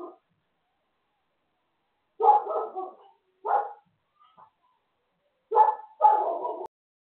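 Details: Dog barking: a short bark, then a pause, then a loose run of about four sharp, rough barks in irregular bursts, some doubled, separated by silence with no other sounds.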